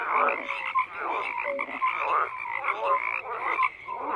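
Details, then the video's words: Frogs croaking in a crowded chorus, bursts of harsh pulsed calls overlapping with short tonal chirps that rise and dip. "FROGS CROAKING"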